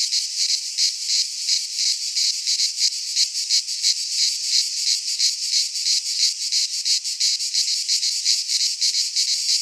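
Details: Cicadas singing in midsummer in a Greek pine forest: a dense, continuous buzzy rasp, high-pitched and pulsing rapidly, about three pulses per second, steady throughout with no other clear sounds.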